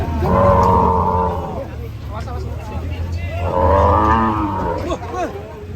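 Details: Raging cow giving two loud, deep, drawn-out moos, each over a second long and rich in harmonics, about three seconds apart, with a man speaking in the pause between them.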